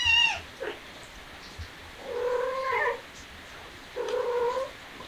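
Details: Young kitten, shown as starting to be affectionate, opening with a short high squeak followed by two long, level, wavering meows about two seconds apart in a quiet indoor room.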